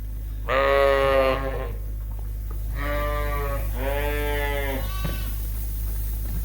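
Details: Suffolk lambs mixed into one big group in a barn at Ewetopia Farms after a gate was left open, racing around the extra space; three long, harmonic, wavering bleats, the first loudest, followed by a short fainter cry, over a steady low barn hum.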